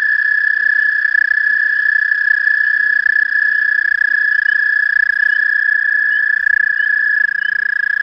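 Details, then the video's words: Hundreds of toads trilling at night, merging into one unbroken, steady, high musical drone that holds a single pitch for the whole stretch, with faint low wavering tones beneath. "Toads trilling"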